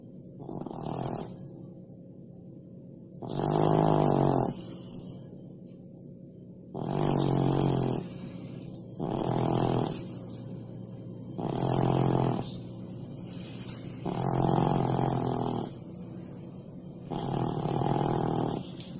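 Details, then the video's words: A domestic cat that loves to sleep below the stove snores while asleep. Seven low, rasping snores come in slow, steady breaths about every three seconds, with quiet gaps between them. "THE SNORING CAT"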